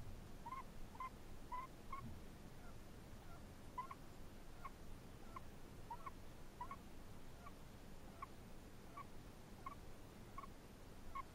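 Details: A sleeping Chinese hamster gives soft, high, squeaky snore notes, each brief and repeated at a regular breath-like pace for about eleven seconds, barely above a low background hiss.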